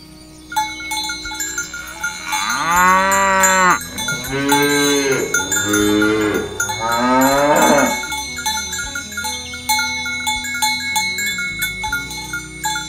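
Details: Healthy, well-fed cattle walking to the field in the morning, herded by a shepherd: three long, rising-then-falling harmonic moos in a row, each about one to two seconds, over steady cowbell chimes and tinkling bells.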